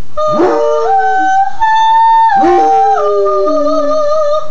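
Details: Sport, a Basset Hound trained at home to sing, howls along with a woman singing: two long, wavering, harmonic-rich howls, each starting with a sharp rising onset and then holding steady, with a steady sung human tone between them.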